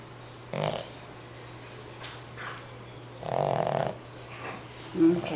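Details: A sleeping 5-month-old male Boston Terrier puppy snores in rough, breathy bursts while a woman speaks softly nearby.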